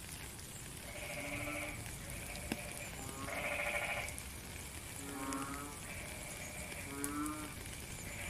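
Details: Rain falls steadily while frogs call together. Bright, buzzy pulsed bursts mix with shorter low humming notes, coming thickly, several each second, from a number of callers.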